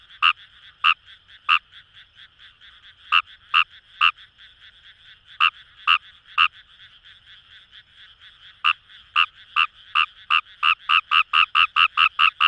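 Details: Kawamura's rice frog in Kamo River rice paddies, Itoshima, Fukuoka, Japan: spaced, sharp croaks that, after a short pause, speed up into a rapid accelerating series of clipped notes, over a steady distant frog chorus.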